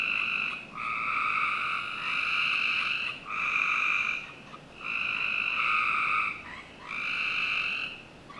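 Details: Backyard frogs in Northern Virginia calling through a summer night: a run of rasping, buzzy trills, each about a second long, follow one another with brief dips between them over low steady background noise.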